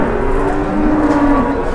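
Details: An enraged cow in a pen in Indonesia, nearly charging at its keeper, gives a steady, low, drawn-out moo under two seconds long, one flat sustained tone with layered overtones over a noisy background.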